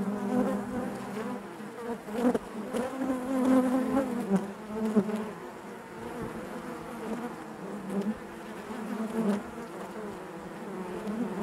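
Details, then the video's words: Inside a honey bee hive, many bees create a continuous layered drone that rises and falls gently, with short louder surges as individual bees pass close. "bees therapy hive natural buzzing sound"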